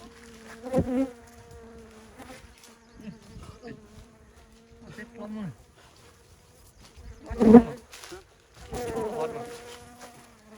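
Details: Bee buzzing in intermittent bursts, a low droning hum with steady overtones, loudest near the start and again around the eighth second, with quieter stretches and faint human voices in between.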